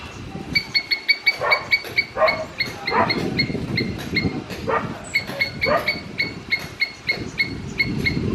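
A squirrel gives rapid, sharp chirps in quick repeated bursts over a rumbling background.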